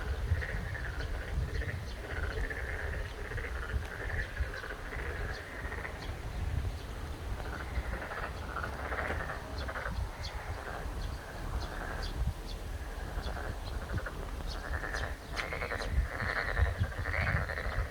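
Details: Chorus of boreal digging frogs in the Shin Saimdang garden at Ojukheon, with many overlapping croaking notes pulsing continuously, some louder bursts toward the end, and a few sharp clicks over a low background hum.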